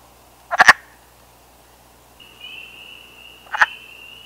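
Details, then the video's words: Wood frog in breeding season in Canada giving short, harsh, duck-like clucks, two bursts a few seconds apart, calling for mates. "Breeding season of the Wood Frog"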